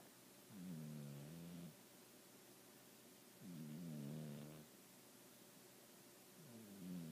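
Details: Sleeping male house cat Baby, cleared by the vet as healthy, gives steady rhythmic snores, three drawn-out low rumbling breaths with a rough vibrating edge, one about every three seconds.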